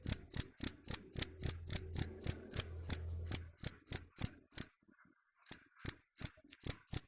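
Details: Cricket sound meant to chase off rats: rapid, ringing high chirps near four per second, a faint low hum early on, then a silent pause of under a second before the chirping resumes.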